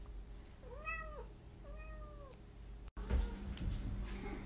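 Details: Domestic cat in the United States, on a scavenger hunt, giving two clear arched meows about a second apart, the first longer, then a click and handling noise in a small room.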